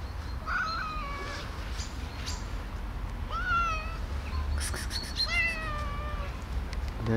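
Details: Diamond Nose, a female street cat fed for more than eight years and spayed, meows three times, each a harmonic rise-and-fall cry about a second long, with brief clicks, rustling and low background rumble outdoors.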